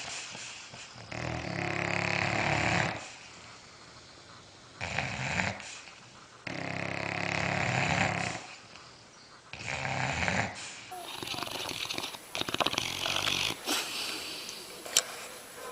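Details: Dog snoring in its sleep, four rasping snore bursts of one to two seconds separated by quiet breaths, followed by a stretch of scratchy, rustling noise.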